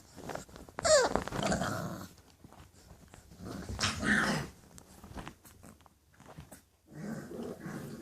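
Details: English Bulldog puppies growling and yelping in rough, noisy bursts, with a sharp squeaky yip near the start, another harsh growling burst midway, and a final grumbling flurry at the end.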